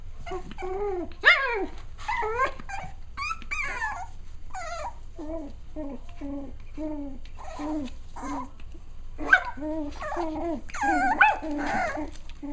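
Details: Six-week-old Cavalier King Charles Spaniel puppies at playtime: a busy run of high whimpers, yips and little growly barks from several pups, many arching and falling in pitch, tumbling over one another without pause.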